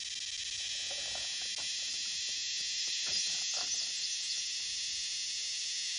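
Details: A cicada, recorded very close up, gives a loud, steady electric buzz, a continuous high-pitched drone without a break.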